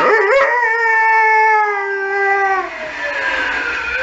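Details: Saluki howling in response to emergency services sirens: a steady, drawn-out tonal howl with rich harmonics, held level for about two seconds before fading into background traffic-like noise.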